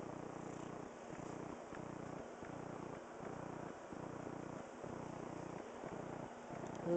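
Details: Steady rhythmic purring from Cookie, a talkative two-year-old female pet cat named Oreo, low pulses roughly twice a second, recorded indoors in September 2010, with a woman's voice briefly at the end.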